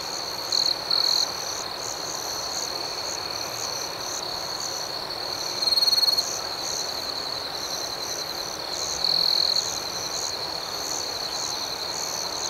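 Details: A nocturnal chorus of crickets in a tranquil outdoor setting, steady high chirps pulsing about four per second, with three louder trill bursts rising over the background chorus.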